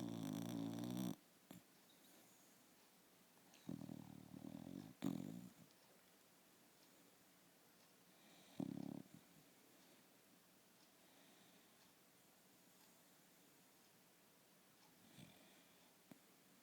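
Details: A sleeping Shiba Inu snores indoors, one strong rasping snore at the start followed by softer, rougher breaths at irregular intervals that fade toward quiet.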